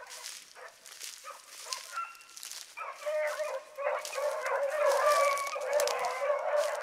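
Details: A pack of hound pups running in the morning, including Ringo, Mingo and Choco, starts with scattered distant yips that build into a louder chorus of long, wavering bays from several dogs.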